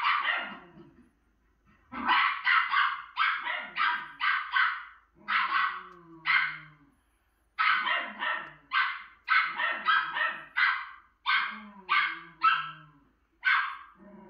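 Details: A female Miniature Schnauzer, reacting to her own image on TV, barks in long volleys of quick, sharp, high barks, around twenty in fourteen seconds, with brief pauses and faint TV sound beneath.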